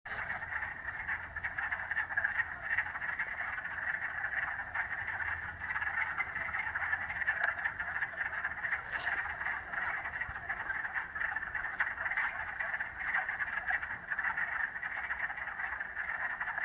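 A dense chorus of frogs, many voices blending into a steady, rattling trill.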